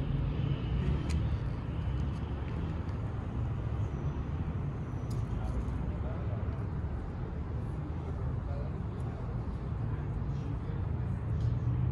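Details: A steady low roar of road traffic on a city street, with faint distant voices and no animal calls.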